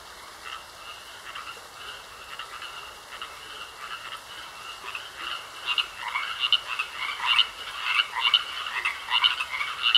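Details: Frogs croaking in a pond, starting as a soft, steady chorus of faint notes and building after about five seconds into louder, rapid pulsed calls repeated roughly once a second, with a thin constant tone running underneath.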